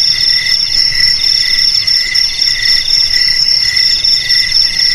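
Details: Cricket chorus with a continuous piercing high trill and a lower layer of quick pulsed chirps, repeated in short groups several times a second, steady and unbroken across the whole stretch.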